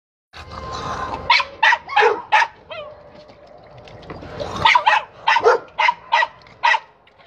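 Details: A dog barking while playing with its ball: a low growly rumble, then about a dozen sharp, bright barks in two bursts, fired roughly every third of a second.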